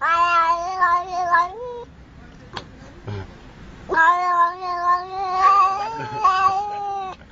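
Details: Domestic cat giving long, drawn-out meows, two sustained wailing calls with steady pitch and rich harmonics, a brief quiet gap with faint knocks between them, the second call longer and wavering.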